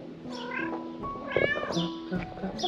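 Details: Stray cat meowing in a street-feeding and shelter setting: a few drawn-out, wavering meows with rising then falling pitch, the clearest near the middle, over background music and a voice.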